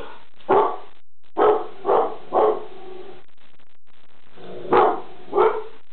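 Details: Pet dog named Reggie barking at something in the kitchen: six loud, harsh barks, two close together, then a pair of three spaced about half a second apart, a pause, and two more near the end; room otherwise quiet.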